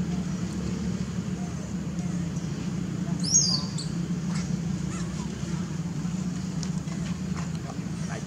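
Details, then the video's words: Baby monkey calling its mother for milk: one sharp, high-pitched squeal that sweeps up and then falls, heard once mid-clip over a steady low rumble and faint background noise. "Lovely baby monkey call mom to give him for milk"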